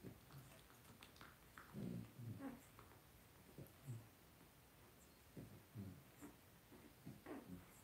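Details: Two-week-old blenheim Cavalier King Charles Spaniel puppies, a litter of five born to Paris and Spike on New Year's, resting in an indoor puppy pen; soft low grunts and snuffles come in short bursts every second or so.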